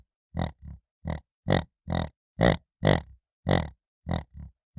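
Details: Piglet grunting: a series of about ten short, low, rough grunts, some paired with softer follow-up grunts, coming roughly every half second against a silent background.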